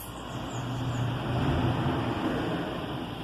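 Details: Steady low rumble of passing vehicles and road traffic fills the recording, with no clear animal voice standing out.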